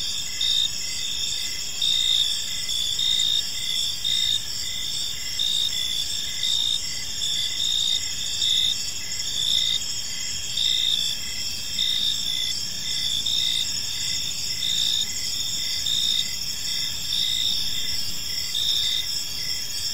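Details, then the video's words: A steady evening chorus of crickets in a serene park: high, rapidly pulsed chirps in layered bands repeat without pause, forming an unbroken shimmering drone. "Cricket Sounds in a Peaceful Park"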